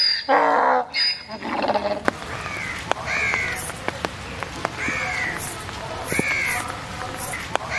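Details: A white donkey at a zoo, drenched in the rain, gives a loud, harsh bray in the first seconds, then steady rain patters down.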